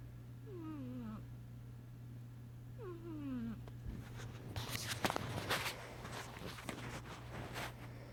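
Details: Sasha, a sleeping pet cat, snoring: two nasal, whistly wheezes slide downward in pitch about two seconds apart, followed by several seconds of rustling and crackling handling noise over a steady low electrical hum.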